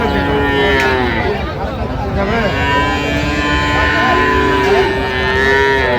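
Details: Cows and calves for sale at Aftabganj market in Dinajpur, Bangladesh, on 17 January 2026: a steady, droning moo at the start and another held call near the end, over constant crowd chatter and price talk.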